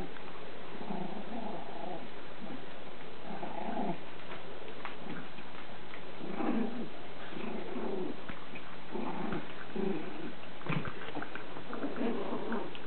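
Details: Chihuahua puppy Lacey playing with her toys indoors, giving low rumbling growls in short bursts every couple of seconds, with soft thumps and rustles of toys between them.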